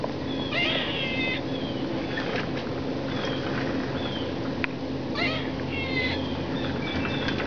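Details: A crying squirrel gives repeated brief high-pitched squeaks and wavering whistled cries, spaced irregularly across several seconds over constant low hiss.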